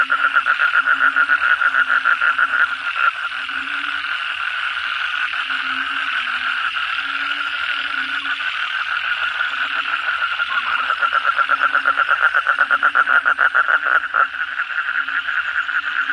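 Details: Night chorus of kodok bangkong frogs after a heavy downpour: loud, fast trains of raspy pulses stacking over one another continuously, backed by a faint low droning tone.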